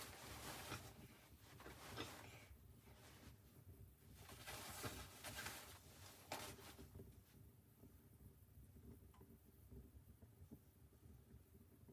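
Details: Indoor rustling, soft thumps and a steady low hum, with no animal calls. Brief bursts of shuffling and handling noise come and go against a quiet room background.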